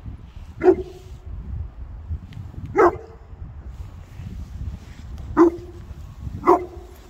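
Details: Boerboels, South African mastiffs, three dogs playing together: four short sharp barks spaced irregularly, each a broadband burst with a lower tail, over a low rumbling background.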